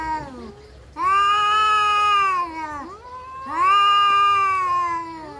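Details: Domestic cats fighting: long, loud, wavering yowls with rich harmonics, each drawn out over one to two seconds, rising then sagging in pitch, two main howls separated by a quieter dip.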